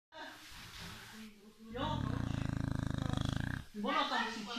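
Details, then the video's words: A sleeping Beagle snoring indoors: a low, rattling, rapidly pulsed snore lasting about two seconds in the middle, with human voices talking before and after it. "Beagle beim Schlafen (schnarchen)"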